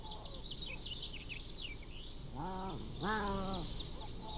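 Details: Pallas's cat kittens, 3 to 7 weeks old, filmed at a wild cat zoo with a motion-activated trail camera. Two drawn-out, harmonic-rich mews, the second louder and wavering, while small birds chirp high and continuously in the background.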